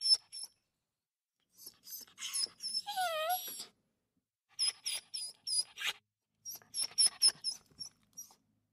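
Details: Small dog playing indoors, huffing and exhaling in short, breathy bursts with thin high squeaky tones, then a brief wavering whine sliding up and down partway through, followed by more quick puffs of breath.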